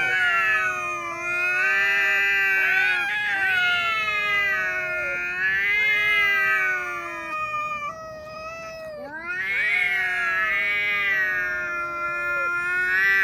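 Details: Two quarrelling house cats, the more timid one holding its tail tucked in: sustained rising-and-falling yowls overlapping, a dip and brief quieter gap midway, then loud drawn-out wailing again.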